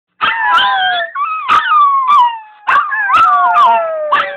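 Chihuahuas howling together in high, wavering, overlapping tones with yelping breaks.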